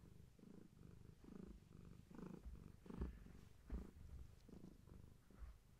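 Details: Pregnant long-haired tabby named Gaia purring at bedtime as birth approaches; low continuous rumble with rhythmic breath-linked surges and a couple of brief louder rustles.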